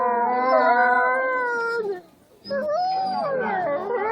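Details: Winter-night howling from wolves kept at Asahiyama Zoo. Layered, sustained tones waver and slide downward. They stop briefly for a near-silent gap before several voices resume with bending, overlapping notes.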